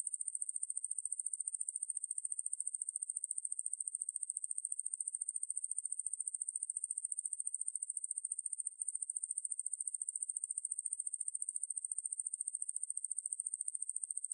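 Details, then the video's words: Ruspolia lineosa, a katydid, from a 2020 National Institute of Biological Resources recording: an unbroken, very high, dense buzzing trill at steady pitch, pulsing rapidly and evenly for the whole stretch with no other sounds. "왕매부리, 여러번 듣기, 곤충소리"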